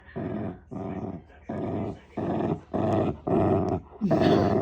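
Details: Shiba Inu kept as a pet, growling in a sound likened to an engine: low rumbling bursts of about half a second repeated in a steady rhythm, roughly six growls with short pauses between, in a quiet indoor room.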